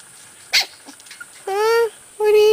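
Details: Corgi puppies, among a litter taken outdoors for the first time, give two sustained, slightly wavering whines about half a second each, after a brief sharp sound and some quiet rustling.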